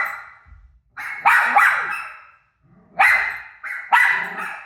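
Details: A dog named Rosie reacts to her own barking on TV with loud, echoing barks in two short clusters separated by a brief hush. Each bark fades with a ringing indoor tail.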